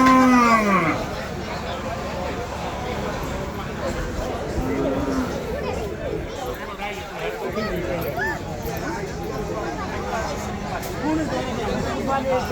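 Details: A falling moo opens among cattle offered for sale at Patiljhap market, followed mid-way by a shorter lowing, while crowded market chatter and men talking continue throughout.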